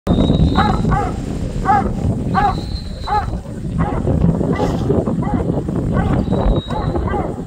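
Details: New Zealand Huntaway sheepdog, a breed bred to bark to move sheep, working a zigzag hill course at a backcountry sheepdog trial; repeated deep barks roughly every half second, with the farmer's high whistle commands and steady wind noise.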